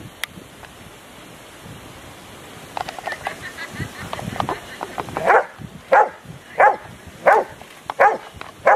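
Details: Rottweiler Huck dei Re Magi at an IPO3 section C trial of the Rottweiler Club Italiano, Rome, 18 November 2012; after a quiet start with faint background noise, loud deep barks begin and repeat roughly every 0.7 seconds.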